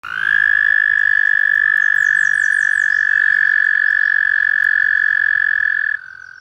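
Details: In Illinois, an American toad, which breeds in shallow pools from March to July, gives its sustained, even, high musical trill on one pitch for about six seconds before stopping abruptly, with faint higher chirps from other callers behind.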